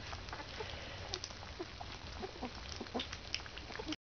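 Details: Fourteen-day-old Alaskan Malamute puppies from a kennel, eating food from their mother; short high squeaks and chirps scattered throughout over a steady background hiss.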